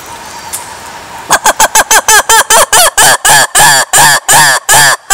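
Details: Lemur calling: after a second of faint hiss, a rapid run of loud, harsh, honking pulses starts, about fourteen in four seconds, each arching in pitch and lengthening slightly toward the end.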